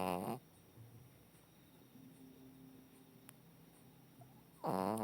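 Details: Dol, a 14-year-old female Shih Tzu, sleeping and long known for loud snoring. Two harsh, buzzy snores with stacked tones, one at the start and one at the end, separated by a quiet stretch of faint room hum.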